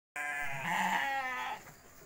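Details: Goat in its pen at night giving one long wavering bleat of about a second and a half, harmonically rich and nasal, fading out at the end against quiet background.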